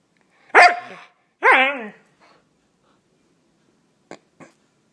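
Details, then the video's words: Male Siberian Husky indoors, talking back when his owner asks him to repeat himself; two loud drawn-out moaning vocalizations with wavering pitch, the second a rising-falling howl-like yowl, followed by faint clicks. "Talking Husky"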